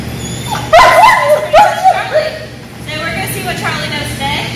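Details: Young German Shepherd, one year old, in training in Georgia, letting out a few sharp, wavering whines that rise then fall in pitch, followed by a human voice and quieter background hum.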